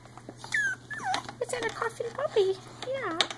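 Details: Three-week-old Icelandic Sheepdog puppies at play give a dense run of high squeaky yelps and bending whines, several overlapping within about three seconds, with a soft human voice nearby.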